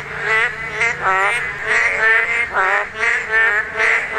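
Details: Chorus of Korean narrow-mouthed toads at spawning. Twangy, nasal croaks swell and fade in quick succession, roughly two or three per second, from more than one caller.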